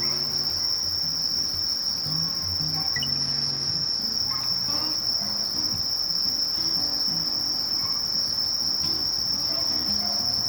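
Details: Sasakiri katydid (Conocephalus melaenus) singing: an unbroken, steady, very high-pitched hiss held at one level throughout, with faint low rumbling and scattered soft ticks underneath.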